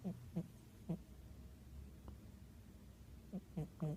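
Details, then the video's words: Otto the cat, fast asleep and snoring: soft, low, nasal snore bursts in a quiet room, three short ones at the start, a long silent pause, then three more close together at the end. "Otto the cat. Fast asleep and snoring"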